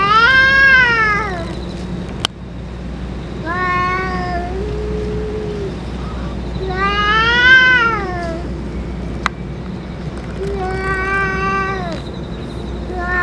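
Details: Stray cats in Japan, with the boss cat that has just eaten food and medicine; long harmonic meows rising then falling, four drawn-out calls spaced a few seconds apart over steady low background hum.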